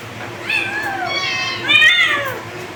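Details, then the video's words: Two drawn-out kitten meows, the first long and gently falling, the second louder and arched, with overlapping voices suggesting more than one kitten, over a low hum. "Cute kittens meow meow meow & cats"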